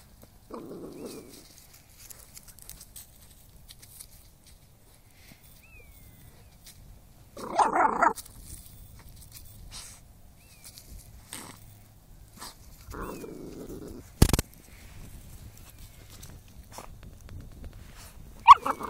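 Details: Dog hunting moles outdoors. Three short, gruff barks come about six seconds apart, with quiet rustling and a sharp knock between them.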